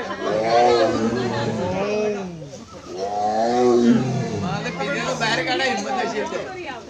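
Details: Tiger roaring angrily on a jungle safari in Kerala: two long, deep, harmonic roars, each swelling then fading over about two seconds, with an excited crowd chattering and calling out throughout.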